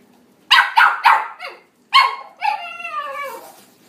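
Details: Toy Poodle, a red male born in 2019, gives three quick sharp barks, a softer fourth, then a final bark trailing into a falling, drawn-out whine.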